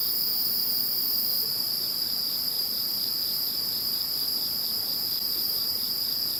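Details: Insects heard after Typhoon No. 21 passed: continuous high ringing chorus, with one mid-high voice pulsing in regular beats of roughly two per second, while the shrillest band briefly drops early on.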